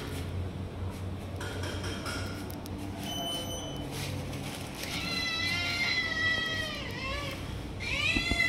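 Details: Tiger Cat, a cat grabbing food from other cats and keeping them from eating, meows several times in the second half: long, harmonically rich cries that bend down at the end, the last one rising sharply. Low background rumble throughout.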